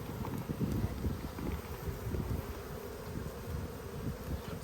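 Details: Honey bees of a strong colony in Australia, opened for a hive inspection during a food dearth on 5 February 2022; a steady low droning hum of the hive with scattered handling knocks and rustles.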